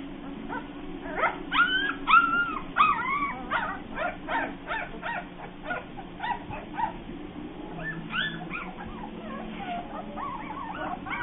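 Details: Bernese Mountain Dog puppies producing a busy run of short, high yips and whining squeaks, some calls bending upward, overlapping one another with a constant low background hum throughout.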